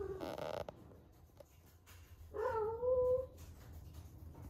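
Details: Peak first heat of Ame, an 11-month-old rescued female cat: a short rustling burst opens, then after a quiet gap one long, steady, slightly rising meow with clear harmonics.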